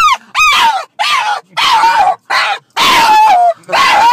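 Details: Oliver, a French Bulldog, too excited to contain himself on a Saturday trip to doggy daycare across the street: loud, tonal whining yowls, seven drawn-out bursts in four seconds, each rising sharply then sliding down in pitch.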